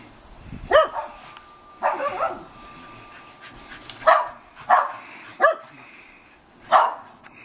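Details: Two female Shetland Sheepdogs rough-housing in a backyard at sunset give sharp, high barks at irregular intervals, about six over several seconds, with a faint steady tone in the background.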